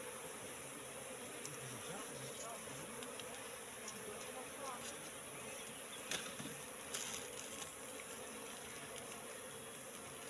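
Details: Constant droning hum from a wild Apis cerana colony settled in a trap box, with a few crackling knocks and handling sounds mid-clip and faint voices behind the buzz.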